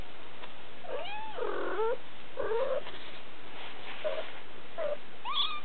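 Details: Siberian kittens three weeks old, July 2008, giving thin rising and falling mews with gaps between them, a few drawn out, quiet room.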